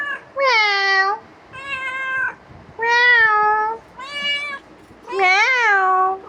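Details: Pestering pet cat meowing five times in quick succession, about one call per second, the sounds even and drawn out until the last one, which rises and then falls.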